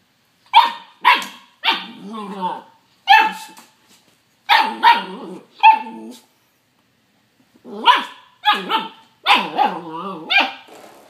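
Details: Puppy at play, barking at a doorstop it fights and bites: a string of short, high, yappy barks in loose clusters, some ending in a whiny wobble, with brief quiet gaps between groups.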